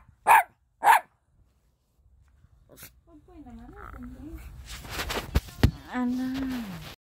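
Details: Four-month-old Toy Poodle puppy giving two sharp barks about half a second apart, followed by quieter wavering vocal sounds and a closing level whine, with some knocking noises.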